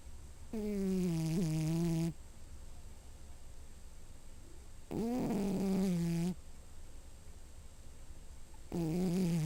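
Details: Pet cat snoring in its sleep indoors: three drawn-out, tonal, nasal snores, each about one and a half seconds long and spaced roughly four seconds apart, with quiet breathing in between.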